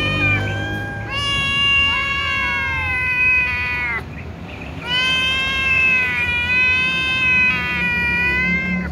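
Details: Cats, kittens and a tom, calling loudly ahead of a meal; long sustained harmonic meows, two extended bouts separated by a short pause, several voices overlapping.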